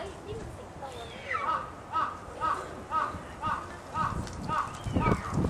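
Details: Yukko, a seven-month-old female snow leopard cub born 2 May 2009, captive at Sapporo Maruyama Zoo, filmed 10 December 2009, her voice shifting toward a meow; short rising mews repeat about twice a second over a soft murmuring background.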